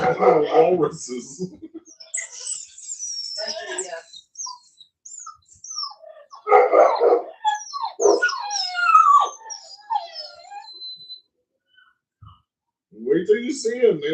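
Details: Cane Corso, the Italian Mastiff, from a Tennessee breeding kennel: short rough bark-like bursts alternate with high sliding whines and squeals that rise and fall, separated by brief pauses, ending in another harsh burst.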